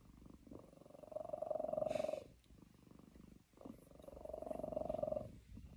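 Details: Domestic cat held on its owner's lap, grumpy over too few treats yet purring: continuous vibrating rumble rising in two drawn-out waves separated by a softer breath, with a faint brief rustle partway through.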